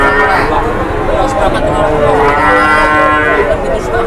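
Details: Cattle lowing at a busy cattle market, a loud, long moo that swells and wavers, with other cattle calling over it and a murmur of people in the background.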